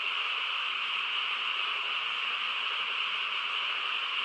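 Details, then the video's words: Frogs calling together on a calm countryside night, a short stretch of continuous, blended, buzzing chorus at a steady level. "고요한 시골 밤에 개구리 합창 소리"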